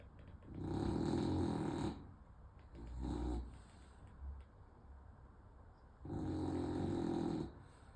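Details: A French Bulldog in Odessa, Ukraine, on 20 August 2024 snores loudly, each long rasping breath droning like an air-defense siren.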